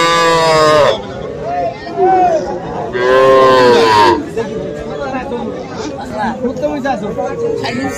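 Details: Small bulls and heifer calves at the Aftabganj market on 3 February. Two loud, rich moos last about a second each, with a softer call between them. Human voices and crowd chatter fill the gaps.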